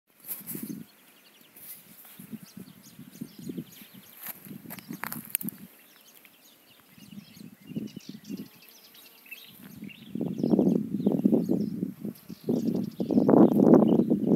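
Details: A bee hovering around flowers in search of nectar: a low droning buzz that comes and goes in short bursts as it moves about, growing louder and steadier toward the end, with faint high chirps and rustling in the background.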